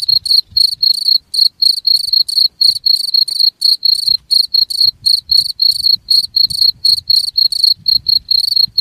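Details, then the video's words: Cricket, a recording said to repel rats: rapid high-pitched chirps repeating around four times a second, regular and piercing, with a faint low rumble underneath. "SUARA JANGKRIK UNTUK MENGUSIR TIKUS"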